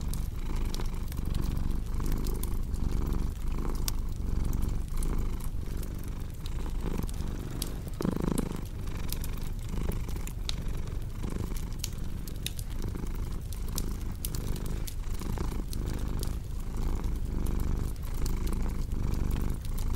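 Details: Cat purring steadily beside a crackling fireplace; a low rumbling purr swells and fades in regular breathing cycles about once a second, overlaid by sharp pops and snaps of burning wood throughout.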